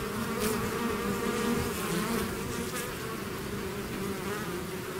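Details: Swarm of bees leaving the hive: a steady, layered buzzing drone with faint pulsing in the hum, continuous from start to end.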